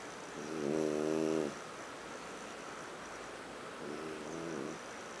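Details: On a living-room sofa, a sleeping French bulldog called Huck gives two rattling snores, a strong harmonic one early and a softer one about three seconds later, quiet hiss in between.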